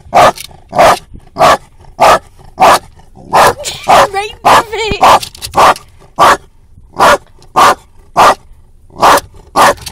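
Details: Female dog in a car, barking out the window at another passing dog; roughly seventeen loud, evenly spaced barks, close to two per second, broken by a short burst of whining yelps in the middle.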